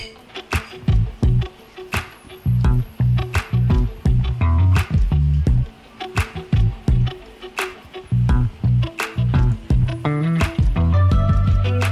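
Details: Only rhythmic music with deep bass and sharp percussive beats is heard, with no animal voice. Plucked, guitar-like notes ring over the beat throughout.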